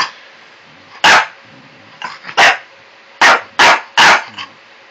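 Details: A French Bulldog puppy pesters an old Cocker Spaniel with barking that went on for over an hour. Five sharp, loud barks come in a quick, uneven series, with faint voices and a soft growl-like sound between them.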